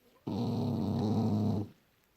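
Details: Young French Bulldog, described as funny, deep in sleep, January 2018. A single loud, buzzing snore lasts about one and a half seconds with a raspy, even drone that starts and stops abruptly. The background is otherwise silent.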